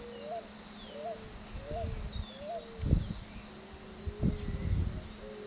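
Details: Frogs calling together during the mating and courtship season: short, upswept notes repeat about every 0.7 seconds over a low, steady hum, with several dull thumps in the middle and near the end.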